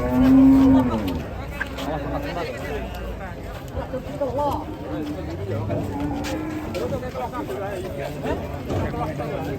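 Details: Angry cattle on the loose after entering a passenger car, opening with a loud, steady low moo lasting about a second, followed by quieter moaning calls under background talk and faint music.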